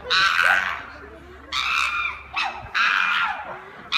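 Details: Captive chimpanzees at Chester Zoo erupt in long, shrill screams. Three sustained outbursts, each about a second long, are split by short lulls, and onlookers can be heard faintly beneath them.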